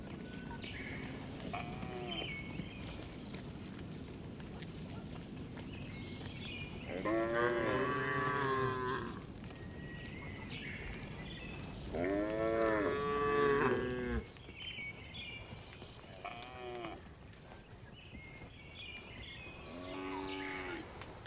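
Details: Afternoon herding of tame cows returning to the barn in a village; two loud drawn-out moos stand out among fainter, higher calls from other animals, with a steady high tone in the second half.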